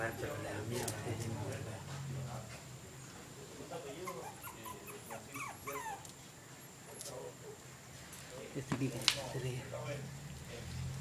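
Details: Jack Russell Terrier puppies giving soft, high whimpers and short squeaky yips in scattered bursts, clustered around the middle, over a low steady hum with human voices and occasional clicks and knocks.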